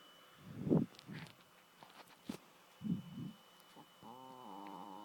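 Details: Adopted female dog Chloe snoring in her sleep: uneven low grunting snore breaths and faint snuffles, ending in a sustained whistling, wavering nasal tone.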